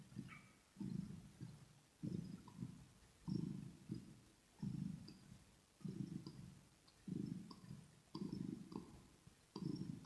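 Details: Up-close kitten purring during grooming and smacking: rhythmic low rumbles about every second, roughly nine in ten seconds, some split into double pulses, with light clicks and licking sounds above.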